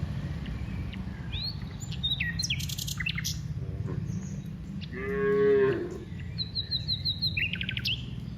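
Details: A cow gives one short harmonic moo of about a second, mid-clip, as cows walk from the rice fields to the village; birds chirp and twitter throughout over a low rumbling background.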